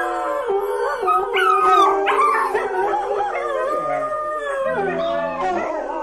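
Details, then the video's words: Several dogs howl together, their sliding, quavering voices overlapping. Some howls rise sharply and then fall, while others hold steady; short wavering yips break in near the end. "Köpek Uluma sesi/dog Howling sound"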